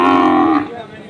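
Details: Brief lowing from a Sahiwal bull calf at the Ambari livestock market in Dinajpur on 6 November 2023; a loud, steady harmonic moo that cuts off after about half a second, leaving a soft market background.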